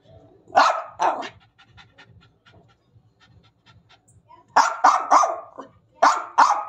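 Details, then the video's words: Angry German Spitz barking in two short bursts of sharp, high yappy barks, two at the start and a quicker run of three near the end, with panting and soft snuffling between. "jack ko gussa aaya"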